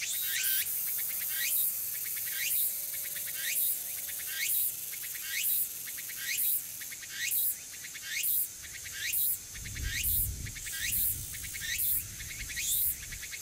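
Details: Walker's cicadas (tsukutsuku-boshi) sing shrill, buzzy rising phrases repeated about once a second, at Magarigawa, Furuta, Nishinoomote on Tanegashima, Japan, on an early-autumn afternoon, 6 September 2022; wary and hard to find.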